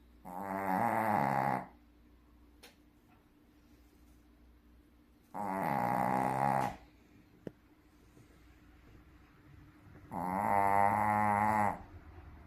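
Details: Sleeping Shih Tzu gives big snores: three long, loud rumbling breaths, each about one and a half seconds, coming roughly every five seconds, with a quiet room and a low hum between them.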